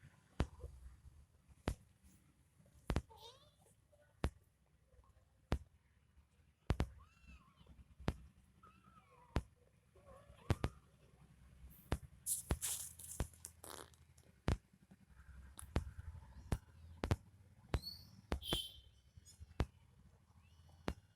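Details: Mother cat nursing her kitten, giving milk: a few soft, short meows with curved rising-and-falling tones, scattered among frequent sharp clicks and handling noises in a small indoor space.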